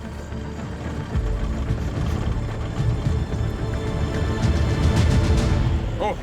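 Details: Tense, rhythmic film music with a rumbling low end and a voice mixed in, and no animal calls.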